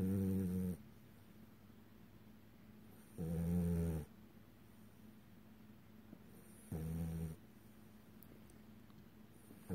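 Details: Sleeping French Bulldog named Pepper snoring through REM sleep, eyes open and flickering; three low, buzzy snores, each about a second long, arriving every three seconds or so with near silence between.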